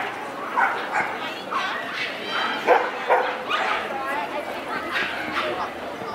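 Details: A Pomeranian-Pekingese mix dog barking outside the Yoyogi Park dog run, where she barks at people and dogs indiscriminately; short sharp yaps come every second or so, mixed with voices and outdoor background noise.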